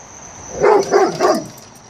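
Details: A male Rottweiler flips out at a new garden flag in the yard, barking three times in quick succession, each bark short, rough and mid-pitched, with stub tail wagging the whole time; a faint high hiss runs underneath.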